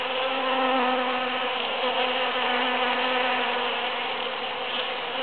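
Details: A crowd of bees foraging in huge cactus flowers after the June 22, 2013 Super-Full Moon gives a loud, unbroken buzzing drone. A clear low hum runs through it, swelling slightly and then easing.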